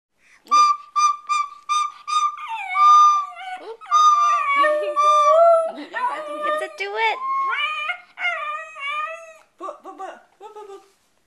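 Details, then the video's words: Pet dog howling and singing along as a one-year-old baby toots on a recorder indoors; shrill repeated recorder-like tones at the start, then wavering, sliding howls rising and falling, mixed with further piping notes. "music making baby with singing dog"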